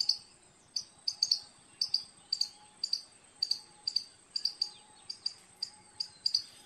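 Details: Short, bright squirrel chips come in quick pairs and singles, roughly every half second, with a continuous faint high whine and a soft low tone running underneath.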